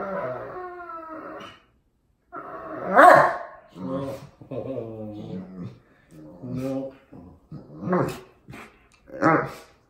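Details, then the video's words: Pet Old English Sheepdog named Wallace 'talking' to his owners: a run of moaning, howl-like harmonic vocalisations with short pauses between, some rising and falling, loud in the middle, indoors. "40 Old English Sheepdog Sounds"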